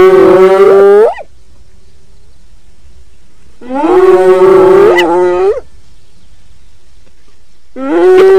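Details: Long, drawn-out moaning calls from a hyena, each lasting one to two seconds with a steady tone that bends upward at the end, repeated after gaps of a few seconds.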